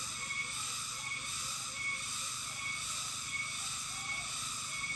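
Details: Cicadas sing in a steady, high, shimmering drone without pause along Amganad Road in the Philippines on 8 April 2024.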